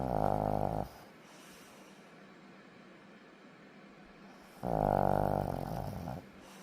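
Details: A sleeping dog snores indoors: a loud, buzzy, rough intake lasting about a second, then roughly four seconds of quiet breathing before the next snore starts.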